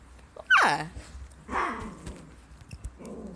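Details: A white female Siberian husky named Pink Jewelz, indoors, lets out a loud yowl that slides steeply downward, then a shorter moaning call, with a person's voice nearby.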